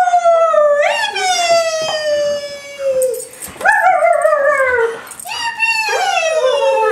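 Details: Pet greyhound singing: long, clear, descending howls with rich harmonics, each tone sliding gently down, then a fresh higher howl starting near three and a half seconds and another near five seconds.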